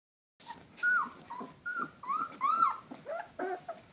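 Alaskan Malamute pups give high, wavering whimpers and yelps, several overlapping in quick succession.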